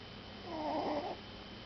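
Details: Puppy snoring in its sleep: one drawn-out, raspy snore with a slight whistling rise and fall, framed by quiet breathing and low indoor hum.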